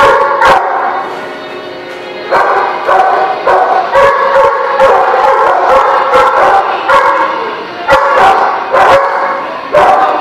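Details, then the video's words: Several dogs barking at a dog facility, recorded March 27, 2017; overlapping sharp barks repeat roughly every half second to second, forming a dense chorus. "The Barking Lot"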